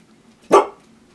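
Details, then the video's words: A single short, sharp bark from a Siberian Husky being teased with treats indoors, abrupt and loud, fading quickly into quiet room noise. "Teasing My Huskies with Treats"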